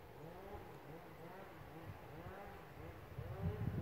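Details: Rutting red deer in the Lądek Zdrój forest district, giving a quick series of low, arched moaning groans repeated several times a second, growing rougher and louder toward the close.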